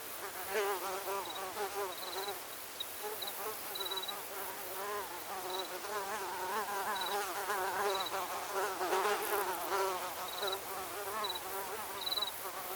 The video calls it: Mosquito Cacophony 01 Ambience Sound Effect